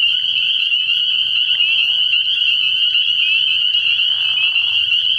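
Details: Massed spring peepers calling at night from a frog pond early in the year, a constant shrill high peeping, joined by lower grating croaks around 1.5 to 2 and 4 to 5 seconds.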